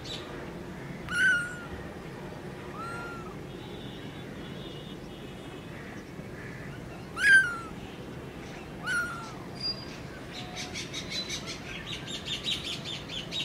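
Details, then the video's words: Newborn baby kitten giving three thin, falling mews spaced several seconds apart, with a soft scratchy rustling in the last few seconds. "New Born Baby Kitten Talking | Kitten Meowing"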